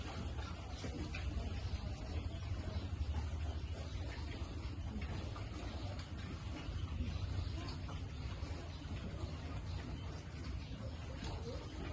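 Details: Outdoor noise with a broad rumble and indistinct speech, with no animal voice standing out.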